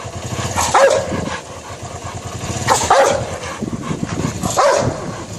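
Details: Rottweiler going for a man, three spaced, gruff barks roughly two seconds apart over a steady rumble of traffic or engine noise.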